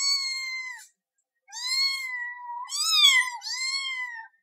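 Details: Cat asking for something with a run of four clear meows: one flat and steady, one long and gently falling, a sharper rising-and-falling cry, then a final even meow, in a quiet setting.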